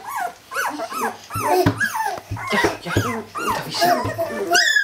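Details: A group of Jämthund puppies at kennel Fenrisulfr in 2012 making falling whines and short squeaky yelps in quick succession, with low thumps underneath, ending on a clear rising squeal.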